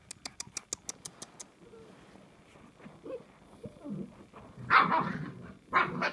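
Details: Samoyeds recorded on 9 January 2021: after a run of sharp rhythmic clicks and quiet rustling, two loud, harsh barks sound about a second apart near the end, with faint background voices.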